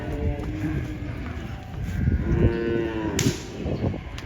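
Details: Cattle unloading from a truck: low, muffled lowing with faint harmonic moans over thumps, rumbling and handling noise, a brief hiss near the end.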